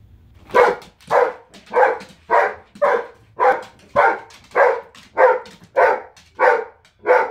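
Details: Giant Schnauzer named Zero, a female pet dog, barking in a tantrum after being told to stay out of the kitchen indoors; loud, even woofs repeated about every half second, eleven in a steady run.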